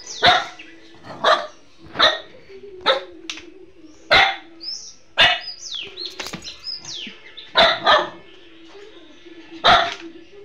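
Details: Pet dog barking at the owner's wife as if it does not recognise her: sharp, loud barks, singly and in pairs, about ten in ten seconds, with a steady low hum and short squeaky sounds between the barks.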